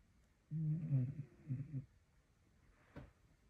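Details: A Staffordshire Bull Terrier snores in low, rasping, rattly, chainsaw-like bursts with a brief click near the end.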